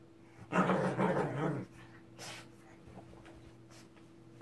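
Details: Angry Shih Tzu indoors giving one loud, rough growling snarl lasting about a second, followed by faint rustling and steady low electrical hum.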